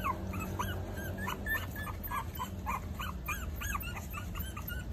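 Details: Maltese puppies four weeks old give a steady run of short, bending whines, several per second throughout, over a constant low rumble.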